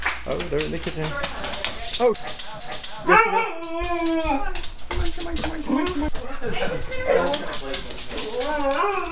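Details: Excited Siberian Husky greeting owners returning from vacation, indoors, egged on by people; a burst of rising and falling yodel-like woos near the middle, mixed with human voices telling it to do a circle.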